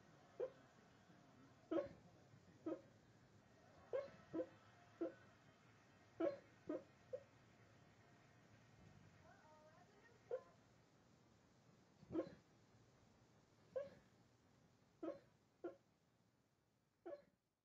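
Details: Sleeping dog Wyatt, said never to bark when awake, lets out short muffled yips and woofs at irregular intervals over a quiet indoor background, with faint whimper-like tones between them.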